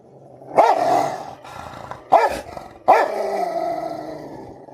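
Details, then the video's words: Rottweiler at home in a fight with another dog, which is under a bed: three loud rough barks about a second apart, each followed by a drawn-out growl, with a person speaking faintly. "lucky aur Facebook mein fighting #rottweiler"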